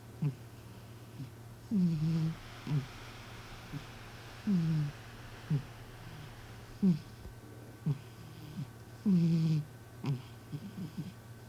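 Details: Cat M asleep indoors, its human-like snoring first noticed as noise while the TV was on: low, sliding snore breaths recurring every second or two, some longer and drawn out, with a steady background hum.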